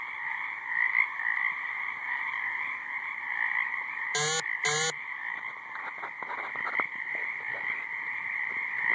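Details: Frogs calling in a high marsh: a dense, steady chorus forms a continuous buzzing drone, with a brief pair of harsh, tonal bursts near the middle.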